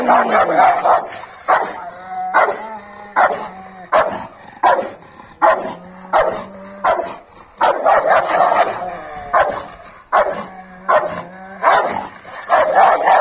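A Rottweiler barks in harsh, deep bursts, with growling tones between the barks, in an aggressive display.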